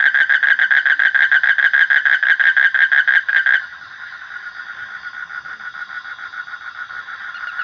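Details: Frogs in a loud, fast pulsing chorus of mid-pitched throbbing notes that drops suddenly after three seconds to a softer, steadier background trill.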